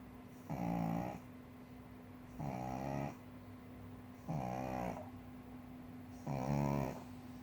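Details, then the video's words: Four rasping snores from Moppy, a four-year-old female pug sleeping comfortably atop a cushion still in its wrapping, spaced about every two seconds, with a low steady background drone. "パグのイビキ ~ Snoring pug"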